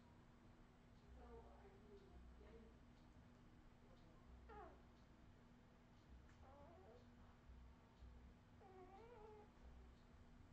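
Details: Australian Terrier puppies of the Redwing litter, 2018: four thin, wavering squeals spread across about ten seconds, each bending up and down in pitch, quiet against a steady low electrical hum.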